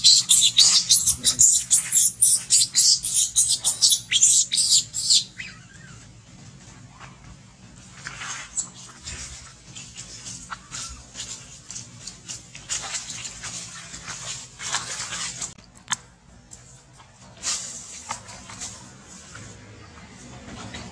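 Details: Baby monkey named Alba crying loudly while kept from milk feeding, shrill high squeals in fast repeated bursts for about five seconds, then softer scattered whimpering cries over low background noise.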